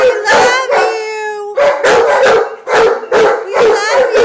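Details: Two Giant Schnauzers 'singing' together: a long steady howled tone with rich harmonics that breaks into a rapid series of short, pulsed howls and yips, about two or three per second.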